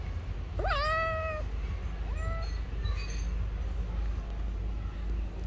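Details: A hungry stray cat on the street, hugging a person's feet and wanting food, gives one long, clear, slightly falling meow and then a shorter, fainter one, over a steady low rumble of background noise.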